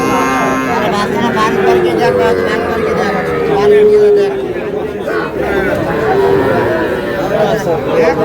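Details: Calves for sale at a crowded Rangpur market in Bangladesh, small bulls and heifers, give long, level moos that waver slightly in pitch, overlapping one another while people chatter and haggle nearby.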